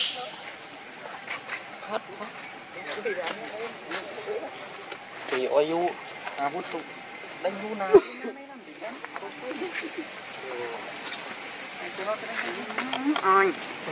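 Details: Baby monkey named Leo crying for its mother and hungry for milk; wavering, arching harmonic squeals rise and fall in short bursts, loudest mid-clip, over a steady rustling, insect-like background hiss.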